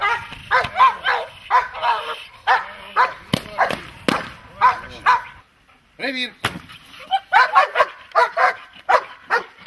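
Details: Dog in protection training giving rapid bursts of harsh barks, a brief quiet gap near the middle, then the barking resumes just as quickly and forcefully.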